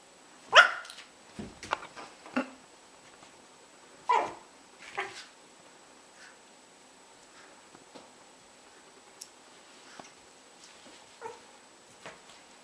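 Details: Yorkshire Terrier at play with a second dog, giving a few short, sharp barks spaced several seconds apart, with quiet scuffling and soft knocks between them.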